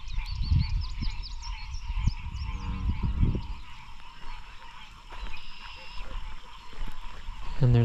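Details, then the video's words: An evening frog chorus in lowland swamps by the Ouachita Mountains: faint, quick, high chirps repeating in the background under heavy low rumbling and some handling noise. "if you listen carefully, the evening frog chorus has begun."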